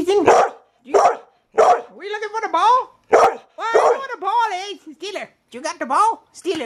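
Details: A pet dog protesting that her sister, another dog, has the ball: a few short, sharp barks, then wavering, moaning yowls that rise and fall, like talking, repeated in quick bursts.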